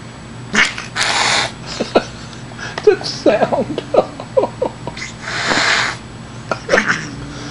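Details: A female Siamese cat, playing with a kitty tickler toy, gives a run of short, chirpy mews and trills, some rising and some falling, broken by rough, breathy hiss-like bursts; she is only playing. A person's voice is faintly heard.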